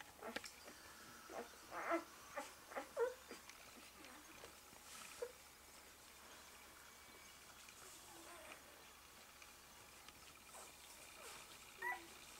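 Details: One-day-old Malamute/Husky pups lying with their mother Eclipse give scattered short squeaks and soft whines, a few louder chirps near the start and end, over a faint steady hum.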